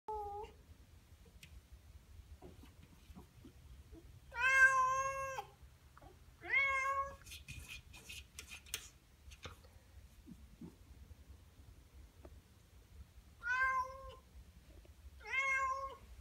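A Norwegian Forest cat meows loudly and insistently, asking to be let outside.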